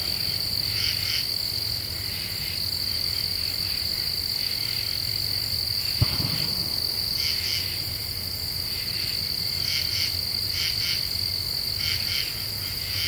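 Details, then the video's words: Common true katydids at night in a deciduous forest of the Ozarks, Eastern U.S., repeating short raspy pulse groups in bursts over a persistent high insect hum, one sharp click midway. "Half Moon and Common True Katydids"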